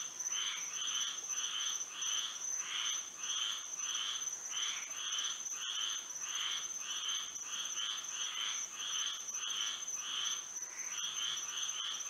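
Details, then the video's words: Moonlit Florida night with a frog chorus of grating, pulsed calls in uneven clusters, some overlapping voices and short gaps, set against a steady high whining drone. "A frog symphony"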